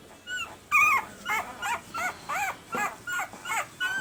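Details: Red and sable boy Pembroke Welsh Corgi puppies at one week old make rapid, short, arched squeaky whimpers, about two per second, high and thin, steady through four seconds.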